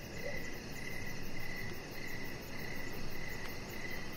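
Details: Evening cricket chorus recorded outdoors beside a deck under decoration lights. High, trilled bursts come in a regular rhythm, roughly one every 0.7 seconds, above a constant low hum.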